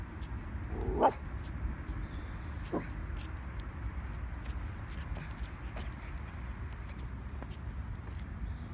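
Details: A female Pomsky waiting beside the water barks at ducks that won't play: one sharp, high bark, a second shorter bark nearly two seconds later, then a few faint yaps over a steady low rumble of wind.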